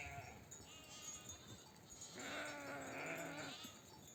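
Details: Ewe in a nomadic flock back from the pasture calls her lambs to feed: one faint, drawn-out wavering bleat in the second half, under steady background hiss and scattered flock noise.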